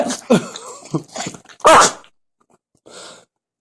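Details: Biscotti, a Jack Russell Terrier, making strange noises: a quick run of harsh, snorting, sneeze-like bursts that build to one loud burst, then a pause and a short, breathy, fainter snuffle.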